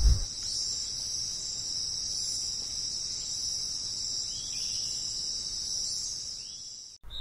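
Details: Cricket. A cricket produces a steady, high-pitched ringing trill that barely wavers for several seconds. A faint low rumble of background noise sits beneath it.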